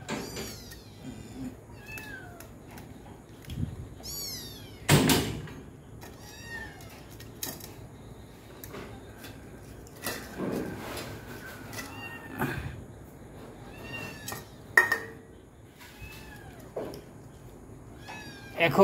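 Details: Domestic cats and kittens at dinnertime indoors: many short high meows and mews scattered throughout, broken by loud knocks and bangs of doors or cupboards and a brief woman's voice.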